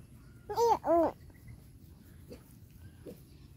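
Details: Two loud, back-to-back arching whines from a bullied dog in the first second, followed by a couple of faint short cries over low background noise.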